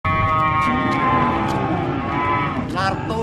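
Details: Cow described as fierce and kept as a sacrificial qurban animal, giving one long, sustained, loud moo that holds steady for over three seconds and wavers slightly near the end.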